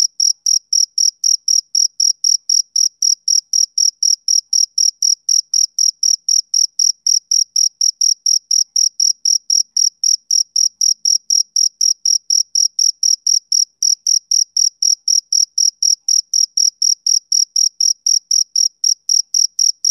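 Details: Continuous rhythmic chirping of a male cricket: high, thin pulses at around four per second, roughly eighty in a row, unbroken and alone.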